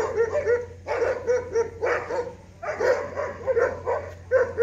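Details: Barking from a dog confronting an ox, clear tonal barks in pairs and short clusters roughly every second, with a faint low hum throughout.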